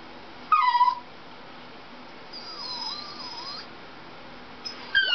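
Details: Dachshund named Dixie indoors, reacting to a Toyota chase commercial on TV: a sharp high whine that drops in pitch, then a long thin wavering whimper, and another short yelp at the end.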